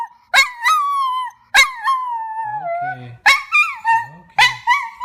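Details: Dog howling in four wavering, yodel-like wails, each breaking upward at its start and then sliding down. Faint low human voices murmur between the howls.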